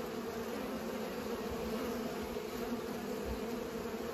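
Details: Humming of pollinating bees, an even, continuous buzz with a low base tone and an overtone above, accompanied by a few soft low thuds.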